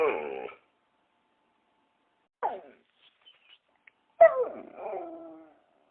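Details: Dog, shown indoors: three separate bursts of high, harmonic whining and yelping, each lasting under a second. The last one is the longest and ends in a wavering tail. There are quiet gaps between them and no other sounds.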